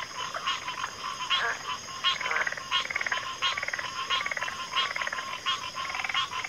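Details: Chorus of pig frogs and water frogs in backwater, loud rasping croaks and rapid pulsed calls overlapping, repeating a little faster than once a second, with a steady high hum underneath.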